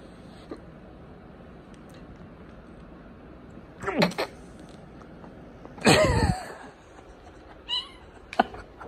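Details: Two cats fighting on a man's lap indoors; a harsh yowl near four seconds, then a loud, broad snarling hiss around six seconds, with a brief thin cry near eight seconds over a quiet room.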